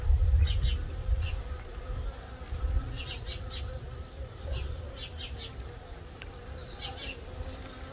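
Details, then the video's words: Honey bee scouts investigating a Layens hive set up to attract swarms, baited with old drawn frames, wax foundation and empty frames: continuous low buzzing hum, louder at the start, over scattered high bird chirps. "Scout Bees on a Layens hive setup for attracting swarms"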